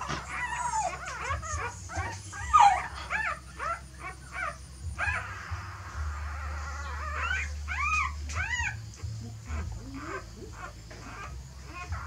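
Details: A mother dog appears to be shifting her puppies to a fresh nest; high, bent whining yelps repeat in bursts, pause briefly, then return, over a constant low rumble.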